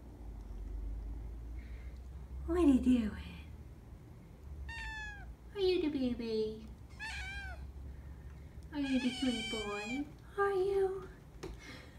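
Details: Several nine-week-old kittens living in a foster room meow repeatedly. The calls are bright and descending, some short and some drawn out, coming in bursts every second or two, with a low indoor hum and soft human talk.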